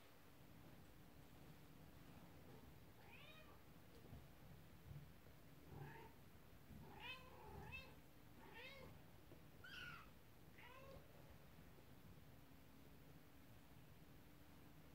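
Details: Kittens play with a toy horse-drawn carriage as their upset mother cat is nearby; a quick series of bright, rising-falling meows packed into several seconds, over a steady low hum.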